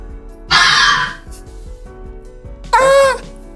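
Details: Red fox, whose cries are likened to human screams at night: a rasping, noisy shriek, then after a two-second pause a shorter wailing yelp with a clear tonal, slightly wavering pitch.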